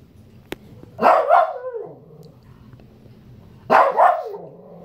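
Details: Angry Shih Tzu demanding fruit gives two loud doubled barks about two and a half seconds apart, with a soft low whine trailing after the first.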